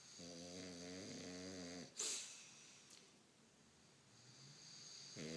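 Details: English Bulldog Lorenzo sound asleep, snoring indoors: a long, rasping, harmonic-rich snore lasting nearly two seconds, a brief sharp bump, a stretch of quiet breathing, then the next snore starting.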